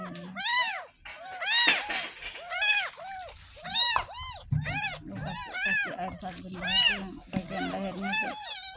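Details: During its first bath, a ten-day-old kitten found in a gutter mews insistently and repeatedly, each cry a high arched wail, while a woman talks and water sloshes in the background.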